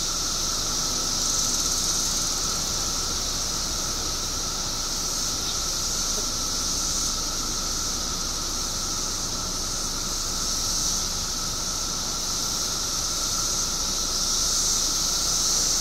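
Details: Illinois periodical cicadas, surfacing by the billions after 17 underground years, produce an even, roaring high-pitched drone layered over a lower steady tone, with gentle pulses in loudness throughout.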